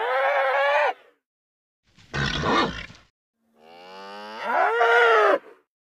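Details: A nervous bull calls three times: a steady harmonic bellow, a harsh noisy grunt, then a longer rising moan that builds in strength before stopping abruptly, with silent gaps between calls.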